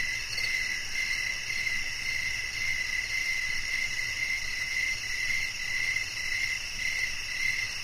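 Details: Cricket song running almost continuously, chirps blurring into a near-steady trill, layered over persistent high buzzing from other insects.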